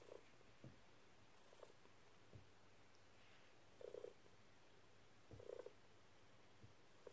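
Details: Dexter the cat jumps onto a lap and purrs while making happy paws; a rumbling low purr carries bright chirpy trills about every one and a half seconds.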